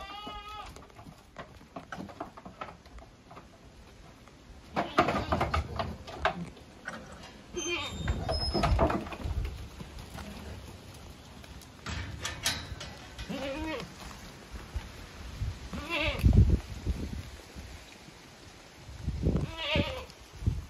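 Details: Savanna goats in Brazil, with a few wavering, quavering bleats rising and falling among background chatter, a man speaking Portuguese and scattered knocks and rustles from the farm.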